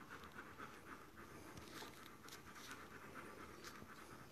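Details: Dobermann female panting while giving birth indoors: soft, rapid, even breaths about four per second, steady throughout over a low background hiss.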